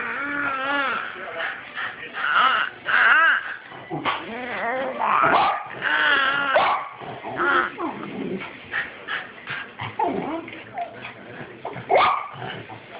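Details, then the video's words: Archer, a dog making what are called monster noises, recorded 12/4/2011 on an Android phone: drawn-out, wavering whines and groaning howls rising and falling in pitch, broken into bursts with short yips and gruff sounds between them. "Archer Makes Monster Noises"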